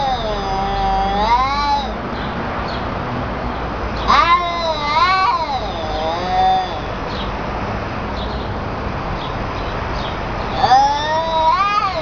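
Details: A senile cat's 'talking': a wavering meow, then a longer two-part call bending up and down, and after a pause another rising meow, with faint steady hum underneath.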